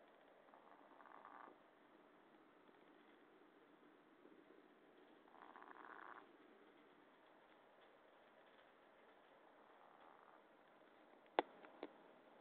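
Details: Chihuahua named Cub-Lui asleep, breathing or snoring very softly: faint, airy breath bursts about every four to five seconds over a low hiss, with two sharp clicks near the end.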